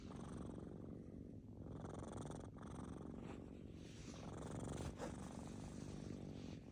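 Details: Snoring from kittens deep in sleep: a continuous low, grainy rumble, slightly louder toward the end, with short breath breaks in between.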